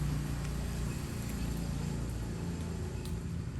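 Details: Constant low engine hum and broadband vehicle noise fill the whole stretch without any break.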